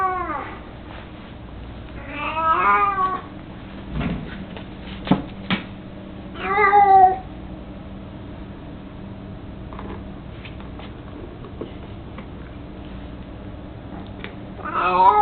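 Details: Old, chubby, mostly blind house cat Mico, 18 years old, with his toy mouse, lets out a few wavering meows early on, then quiet stretches with soft knocks and thumps, and another meow at the end.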